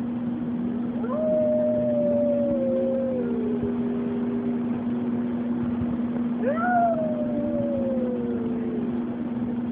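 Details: Dog at a daycare and boarding facility howling along with the weekly tornado siren test. Two long drawn-out howls, each gliding slowly downward over about two and a half seconds, over a steady low droning siren tone throughout.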